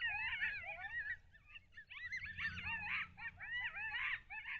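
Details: Several coyotes yelp together in the early morning near Lake Alan Henry, Texas, on 18 August 2021, in a wavering, overlapping chorus of high, quavering yips and short howls, picked up by a wildlife cam.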